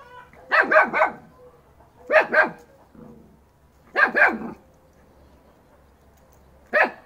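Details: Dogs in a yard: a 3-month-old Fox Terrier puppy charging a 2.5-year-old female Alabai. Sharp barks come in quick clusters of two or three, separated by pauses of roughly a second or more, with a faint low murmur between bursts.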